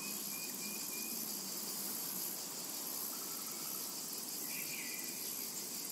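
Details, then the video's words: Cicadas in a tranquil summer meadow: a dense, steady high buzzing drone that fills the air without pause, with a faint pulsing shimmer at the top and a few brief whistled notes that surface now and then. "Summertime and Cicada Ambience"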